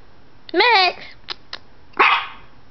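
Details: A puppy named Maxwell Marshall Biggers, humping his stuffed animal, gives a high wavering whine that slides up and down, a couple of short clicks, then a second breathy yelp.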